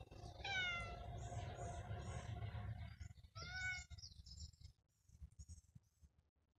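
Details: Cat producing two clear, drawn-out meows about three seconds apart, the first longer and wavering, the second rising then falling, over low rumbling noise, followed by faint high chirps.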